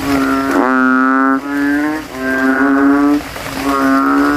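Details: At night after rain, banded bullfrog males in a cemetery puddle compete with inflated throats; three drawn-out, low, droning bleating notes follow one another with brief pauses, each steady and loud.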